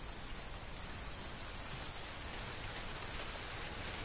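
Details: In a fall corn field awaiting harvest, crickets give regular bright chirps roughly every third of a second over a steady high-pitched trill, with a breezy rustle of corn stalks.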